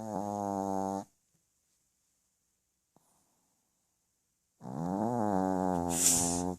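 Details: Sleeping dog snoring indoors: a rough harmonic snore lasting about a second, a long silent pause, then a longer wavering snore with a slight rise and fall in pitch.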